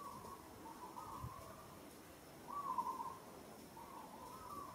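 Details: Young female monkey in Kampong Cham Province, Cambodia, gripped roughly by another monkey, struggles and gives soft, drawn-out tonal distress calls, each note wavering around one pitch.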